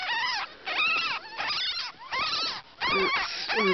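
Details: A litter of ten newborn ferret kits, born to a pet jill, gives bursts of high, wavering squeaks that rise and fall in pitch. The bursts come roughly every half second and are separated by brief pauses.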